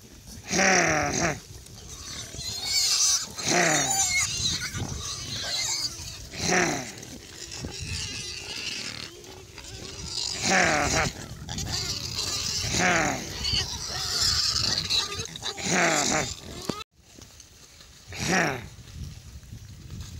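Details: Hundreds of lively baby pigs on a farm, playing and exploring: loud, shrill, harmonic squeals burst out every two to three seconds over a steady background of grunting and chatter from the crowded piglets.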